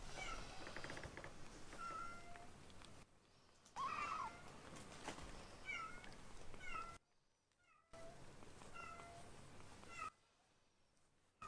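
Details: Rescued foster kittens Ashiro and Akuro, indoors while learning to eat weaning food, give many short high meows. The meows are thin and slightly falling, in scattered bursts with brief silent gaps and soft room noise.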